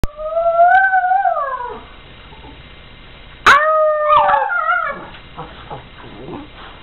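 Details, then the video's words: Pet dogs howl with their owner howling along: two long, smooth, wavering howls, the first gently rising then sliding down, the second starting abruptly and breaking into short, falling yelps. "Howling Dogs"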